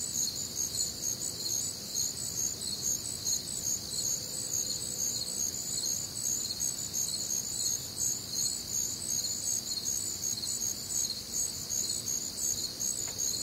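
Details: Crickets chirping on a warm, humid Midwestern summer night, an unbroken shrill chorus of overlapping pulsed calls at around two and a half pulses per second, with faint distant low background sound.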